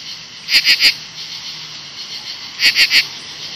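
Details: A loud late-evening chorus of 17-year cicadas in August 2013 next to the bushes during the emergence. Steady high hissing is punctuated by two bursts of three rapid, rasping pulses about two seconds apart.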